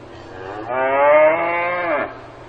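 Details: One drawn-out moo from a cow on a farm, starting abruptly, rich in harmonics, holding a steady pitch for about a second and a quarter before dipping at the finish; low background hum.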